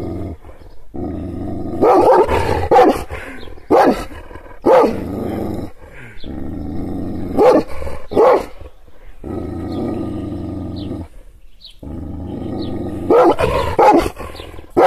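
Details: An angry Kangal shepherd dog, provoked by hand gestures but not touched, gives deep, harsh barks broken by sustained low growling.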